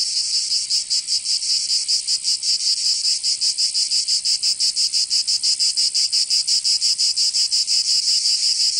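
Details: Cicadas in Provence, southern France, in summer: a high, rasping buzz that starts smooth and then pulses quickly and regularly, close to three throbs per second, filling the whole recording.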